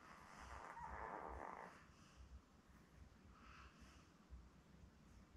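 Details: Newborn Labrador Retriever puppies, seven born May 24, 2021, indoors with their mother Belle on a live puppy cam; one soft, drawn-out whining squeal around the first second, followed by faint snuffling breaths over a low indoor rumble.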